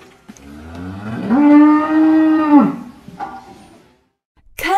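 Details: Cow lowing once in a long, level moo of about one and a half seconds, rising at the start and dropping at the end, with soft background noise before and after.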